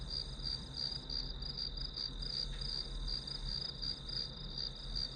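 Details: Continuous high insect chirping from grass insects, evenly pulsed at close to three beats a second, set against a soft, steady low-frequency drone.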